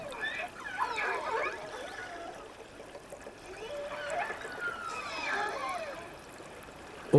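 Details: Killer whales from another pod in icy waters give wavering, harmonic cries that sweep up and down. The cries likely mean they have spotted larger prey than they can handle and are calling for reinforcements, and a listening family recognises their dialect.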